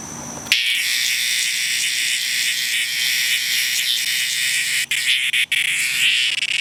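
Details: Cicada in distress produces an intense, continuous rasping buzz that starts abruptly and holds for several seconds, wavering slightly, with a couple of short dropouts.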